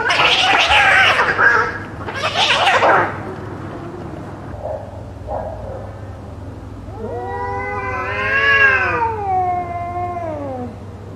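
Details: Cats fighting, loud: two harsh, noisy screeching bursts in the first three seconds, brief quieter cries, then a long wavering yowl that rises and falls with strong harmonics before fading near the end.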